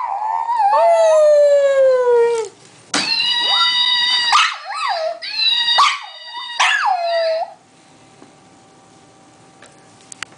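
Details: A dog named Munchie lets out a long descending howl, then a cluster of shorter wavering howls and yelps, before the sound stops and near silence with a faint steady hum follows.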